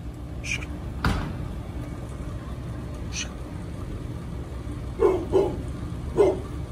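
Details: Pit bull named Bullet, feeling unwell, on an easy late-night walk. After a quiet stretch come three short, sharp barks in quick succession near the end, over a steady low traffic rumble with scattered human voices and clicks.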